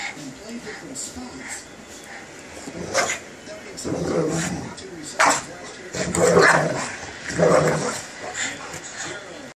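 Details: A 25 lb Boston Terrier play-fights a 110 lb lab/pit mix, giving several short, harsh barks and growly bursts spaced a second or two apart over a background of human chatter.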